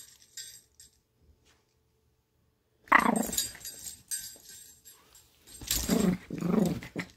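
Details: Lady, a Chihuahua, growls while playing, happy and then feisty: short throaty growling bursts with a whimpering edge around three seconds in, then two more rumbling growls near the end, over faint jingling.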